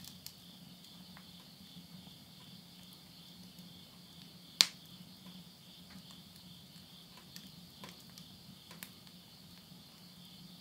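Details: Insects calling at midnight at the end of summer, September 2020, countryside of Yurihama, Tottori, Japan: a steady high pulsing trill runs throughout, with a sharp crackle of wood burning in a house stove and a faint low hum.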